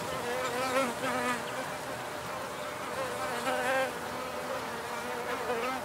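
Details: Wild bees recorded in the field with a simple rig, only nature sounds: a steady droning buzz with wavering harmonic bands that swell and fade as insects pass, over soft background noise.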